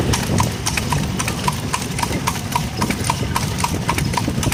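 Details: Horse pulling a cart at night, its hooves striking a hard road in quick, sharp clip-clop beats, about three or four per second, over a steady rumble of cart wheels.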